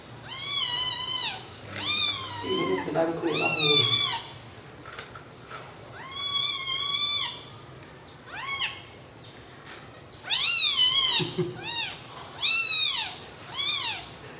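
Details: Several loud, high-pitched meows from newborn kittens lying together after feeding, about nine drawn-out calls that rise and fall, coming in bursts with short gaps and quiet human speech in between.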